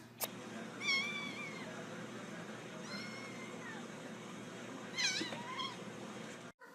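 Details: Domestic cat meowing three times, near one, three and five seconds, each meow a drawn-out, bending tone rich in overtones, the last one wavering up and down; a steady low hum runs underneath throughout.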